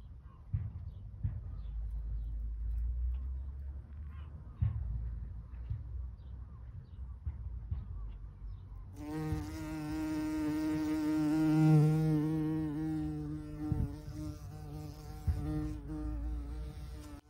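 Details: In a garden early in the bumblebee season, after several seconds of low outdoor rumble, a bumblebee buzzes close by with a deep, steady, rich drone that wavers slightly in pitch and loudness as it moves.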